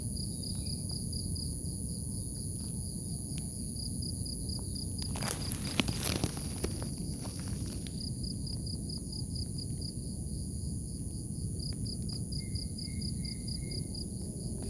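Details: Crickets in grass in the morning trill in steady, rapid pulses over a low rumble of outdoor noise.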